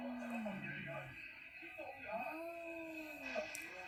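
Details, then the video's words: Visiting cat making a strange sound, recorded indoors around Halloween: low, drawn-out moaning yowls that waver, fall, then swell into long arched tones, with a faint voice murmuring in the background. "Visitor cat makes strange sound"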